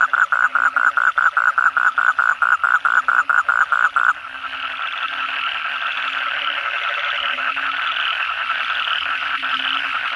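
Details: Night chorus of Asian common toads after heavy rain. A loud nearby caller gives rapid, evenly pulsed croaks for about four seconds, then drops away, leaving a steady, dense trilling chorus of many toads.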